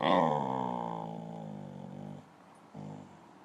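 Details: Pet dog "talking" to its owner indoors, wanting a ball: one long, drawn-out harmonic growl-moan that starts strong and slowly fades and falls over two seconds, followed by a brief softer grumble.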